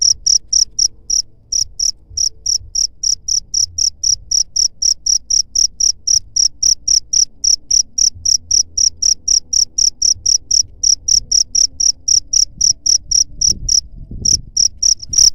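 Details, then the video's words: Cricket sound played to repel rat pests: steady, evenly spaced high-pitched chirps, roughly four per second, continuing almost without break, with a low background hum and a faint knock near the end. "SUARA JANGKRIK PENGUSIR HAMA TIKUS"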